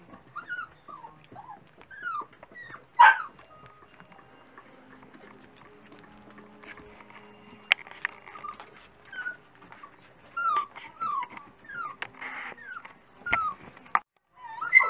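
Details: Several Dachshund puppies at breakfast time, giving short high whimpers and squeaky yips scattered through the clip, some sliding downward, with clinks and rustling in the background.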